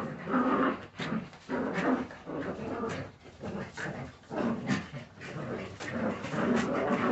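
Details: Young Jagdterrier pups give gravelly growls mixed with higher whiny tones, the rough bursts rising and falling every second or so over faint background scuffles.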